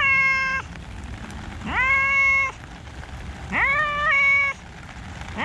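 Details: Cats in a park on a rainy day, loud drawn-out meows with rising starts, three long calls about two seconds apart and a fourth beginning, over soft rain noise.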